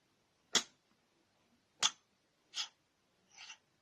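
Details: A cat sneezes four times in quick succession, short sharp bursts spaced about a second apart, the last two softer, in a quiet room.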